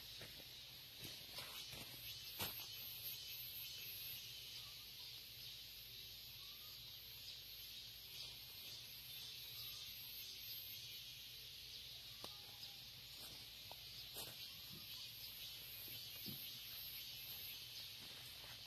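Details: Crickets in early autumn, just after Ipchu, in Hwacheon, Gangwon, South Korea, chirp at early morning on a farm in a steady, high, shimmering chorus that never pauses.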